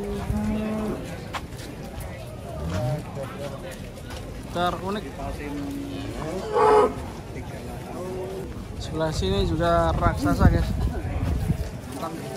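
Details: Big cattle coming down off trucks; repeated deep moos of varying length overlap one another, some rising into strained, wavering bellows, while people talk and shout nearby over a steady low rumble.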